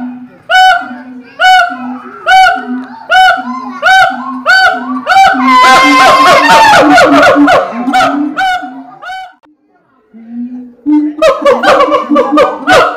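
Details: A captive siamang at Ragunan Zoo, Jakarta, gives loud, honking barks about once a second, building into a frantic, overlapping burst, with music and applause around it; its call carries hundreds of metres.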